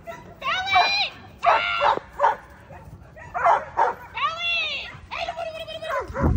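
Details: Young German Shepherd, nine months old, in two-man attack practice: a few loud, harmonic barks with rising-falling pitch, spaced irregularly, alongside a human voice.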